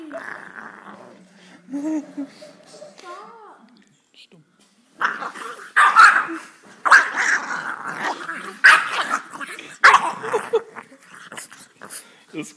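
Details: A Boxer puppy throws a fit, growling and yapping in harsh, gargling bursts while people talk over it. Such crazy spells last about five minutes, and other Boxer owners call this normal.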